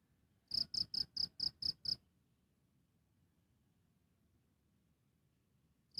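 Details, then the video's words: A cricket, recorded live, gives a run of seven crisp, high-pitched chirps at a steady pace, then falls silent for about four seconds before another chirp begins at the very end. "Efek Suara Jangkrik - Cricket Sound Effects"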